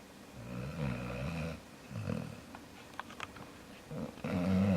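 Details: Jaxson the dog gives a long, low snoring rumble, then a shorter snort, a few faint clicks, and a final louder groaning snore.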